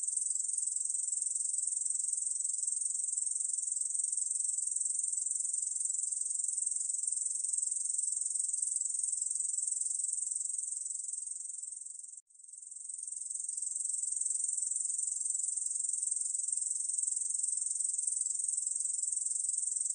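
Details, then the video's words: Ussur brown katydid song from a 2020 National Institute of Biological Resources recording: a continuous, high, hissing buzz held steadily for about twelve seconds, cut by one brief break, then resuming at full strength. "중베짱이, 여러번 듣기, 곤충소리"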